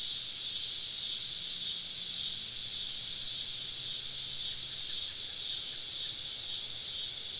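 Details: Summer evening in the southern woods with cicadas surrounding a campsite: an even, piercing high drone that never breaks, with gentle swells in intensity and a faint low hum beneath.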